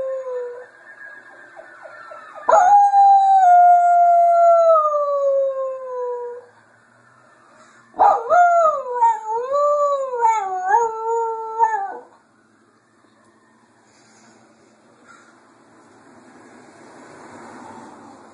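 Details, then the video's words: Sammy the dog howling at sirens: a smooth falling howl of about four seconds, a pause, then a wavering, undulating howl rising and dipping several times before quiet background returns. "Sammy Howling at Sirens"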